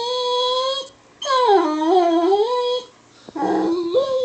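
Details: An excited Weimaraner, provoked a little, howling at a Labmaraner indoors: three long, loud, wavering howls with rich harmonics, the middle one dipping and rising, separated by short silent gaps.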